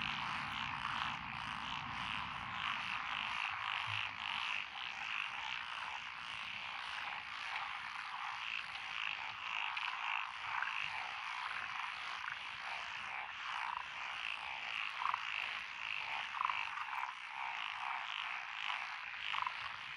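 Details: Japanese rice-paddy frogs, including tree frogs, black-spotted pond frogs and wrinkled frogs, chorusing among lotus fields in Echizen, Fukui, Japan, on 12 June 2021. Steady overlapping croaks and trills, with a brief low rumble in the opening seconds.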